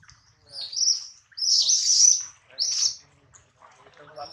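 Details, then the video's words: Hungry baby monkey Adler, missing his mother, cries in the hands of a small monkey. Three long, piercing, high squeals come in quick succession, the middle one the longest, then a faint softer whimper at the end. "POOR BABY MONKEY CRYING IN HANDS OF SMALL MONKEY BABY MONKEY ADLER MISSES HIS MOM AND HUNGRY"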